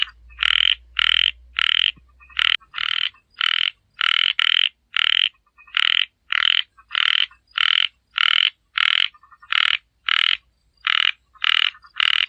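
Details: A frog repeats short raspy croaks almost nonstop, roughly twenty-two over twelve seconds, each a brief bright burst with slightly uneven spacing; a low rumble sounds softly at the start.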